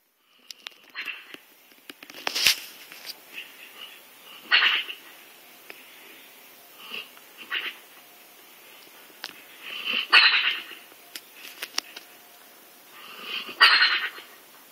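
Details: Sleeping hound snoring: breathy, rasping wheezes every few seconds, some louder and harsher than others, in an otherwise quiet room.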